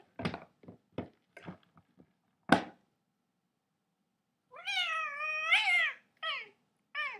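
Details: Domestic cat: a few light taps and knocks, a pause, then one long wavering meow that rises and falls, followed by two short, clipped meows.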